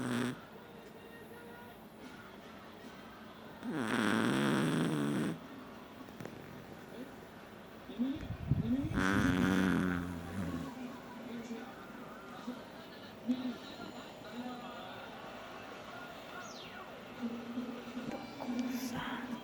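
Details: A sleeping Chihuahua snoring; two loud raspy snores with rough rattling texture, each lasting about a second and a half, separated by several seconds of quieter breathing with soft, faint wheezy sounds.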